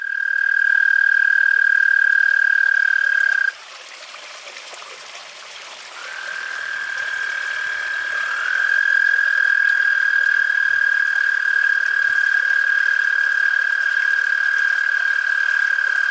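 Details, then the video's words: American toads call at night in a suburban Pennsylvania backyard, around 60°F, giving long, steady, high musical trills one after another with brief pauses, while a fire truck sounds and a dog barks. "there's an upcoming scene where the American toads are out calling while there's a fire truck going off and the dog is barking"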